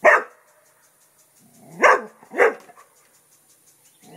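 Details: ['Festus, a pet English Springer Spaniel, barks at a turtle while guarding the house: three sharp, loud barks, one at the start, then two close together near the end, with quiet gaps between.']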